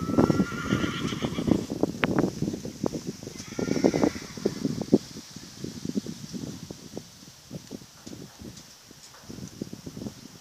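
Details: Horse at a stud giving whinnies: a shrill, wavering call near the start and another around four seconds, over steady hoof clopping, low rumbling and faint human voices.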